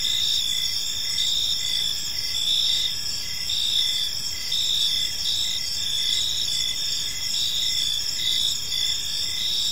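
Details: Crickets in a peaceful park at evening, chirping as a dense high-pitched chorus; layered continuous trills with short repeated pulses, steady and even, above soft low background noise.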